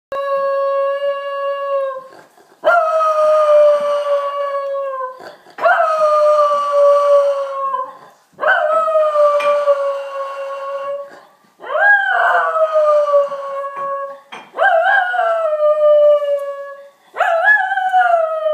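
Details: Three-year-old Schnauzer howling on its own in response to fire truck and police sirens: long sustained tonal howls, each a few seconds, slightly falling in pitch, repeated about every three seconds with short breaks between.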